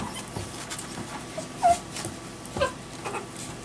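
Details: Eight-day-old black male Italian Greyhound puppy, born 7 May 2014, giving two brief high squeaky whimpers about a second apart amid faint rustling and low background hum.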